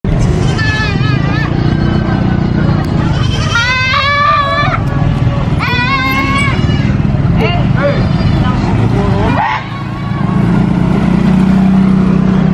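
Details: Goat bleating: two long, quavering, strongly wavering bleats in the middle, with shorter fainter bleats before and after, over a steady low rumble and human voices.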